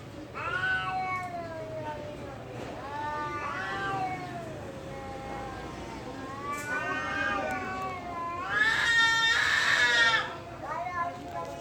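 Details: Cats fighting at a temple produce repeated drawn-out yowls, each sliding up and down like a human voice, building to a loud harsh screech near the end before softer wails.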